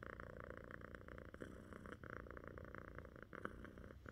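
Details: Continuous low purring from pet cats Echo and Pip during a cozy cuddle session, a soft even rumble with faint rustling and small handling noises in a quiet room.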